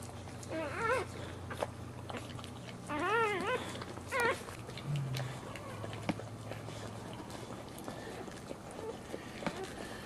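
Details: Dog giving birth to her pup while standing. Three bursts of high, wavering whines rise and fall in quick wiggles. A low steady hum runs underneath, with faint rustling.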